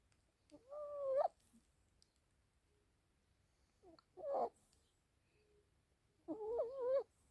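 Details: Yorkshire Terrier puppy named Alice sleep-talking: three separate wavering, whiny vocal bursts a few seconds apart, each a short quavering moan in a quiet room.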